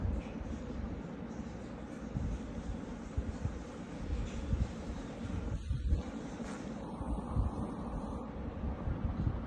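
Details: Only a steady low rumble like a passing train or vehicle is heard, with no animal voice.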